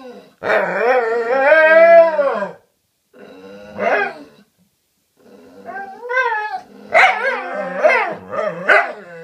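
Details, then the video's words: Dogs talking to each other: a long wavering howl of about two seconds, a brief cry, then a run of grumbling, rising yowls. "Cute dogs talking to each other"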